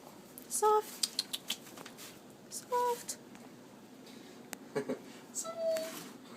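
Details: Female Manx cat with a stub tail and an extra toe on each front paw, chirping while being scratched and petted indoors: short, clear, harmonic chirps, each under half a second, at about 0.7, 2.8 and 5.5 seconds, with soft room noise and faint clicks between.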